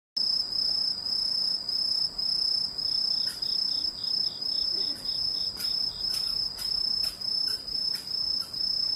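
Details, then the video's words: Insect thought to be a cricket, possibly a grasshopper or katydid, singing a steady high-pitched ringing trill, broken after the first seconds by short sharp clicks and a rhythmic series of pulsed bursts. "이 소리의 주인공은 귀뚜라미? 베짱이? 여치? # Who makes this sound, a Cricket or a Grasshopper?"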